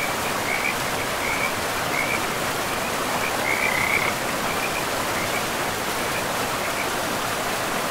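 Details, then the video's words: Beside a river in a moss-covered forest, a frog gives a handful of soft, brief high rattles, the clearest around the middle, nearly swamped by the constant rush of water. "River and Frogs sleep sounds"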